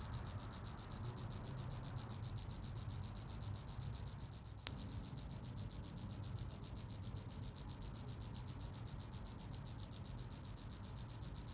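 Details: Cricket chirping to attract a mate in courtship: a very high, thin, metallic chirp repeated steadily about four times a second, perfectly regular, with one brief click partway through and a quiet background.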